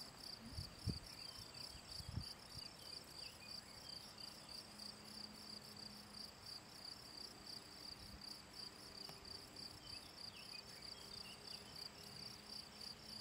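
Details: Field cricket, Gryllus campestris, calling on 18 June 2023 at the ponds in the Draga valley: a steady run of short, high, shrill chirps, about three per second, continuing throughout over a low rumble.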